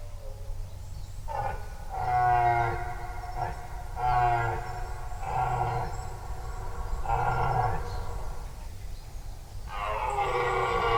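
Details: Rutting red deer roaring in a forest, off to one side of the recordist; a series of deep, grating, harmonic roars in bursts of about a second, one after another, over a constant low rumble of ambient sound.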